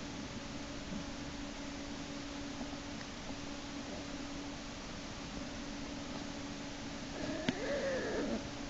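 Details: American black bear cub Jason in Lily's Den, March 1, 2011, dragged back inside by his back leg by sibling Hope while kicking and screaming. A short arched, harmonic cry near the end stands over a steady low hum.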